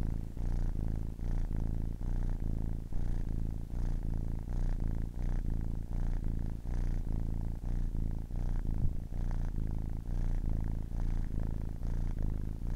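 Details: Young kitten, ten weeks old, purring for a long stretch: a buzzing, low-pitched rumble that rises and falls with each breath, about two cycles a second, steady and unbroken.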